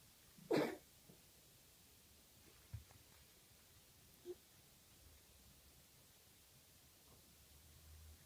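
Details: A Maine Coon kitten indoors in London gives one sharp, breathy cough followed by two faint small sounds; the owner suspects a hairball.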